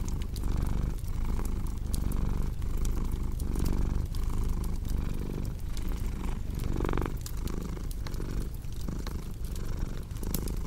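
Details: Rumbling cat purr with a clear breathing rhythm, each swell lasting under a second and repeating steadily, accompanied by the sharp intermittent snaps of a crackling fireplace.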